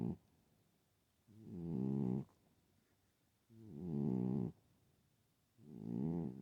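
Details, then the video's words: A sleeping pet cat, female, snoring unusually loudly: three long, rasping, buzzy snores with a low harmonic rattle, each lasting about a second, separated by quiet pauses of roughly two seconds. "Loud snoring kitty"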